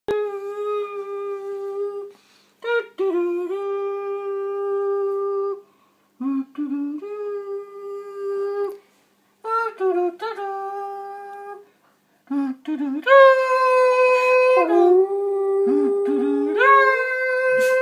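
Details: Bailey the dog howling along to the Superman theme in a small room: sustained, steady tonal howls broken by short pauses and quick pitch steps, ending in a longer, louder howl that wavers and rises.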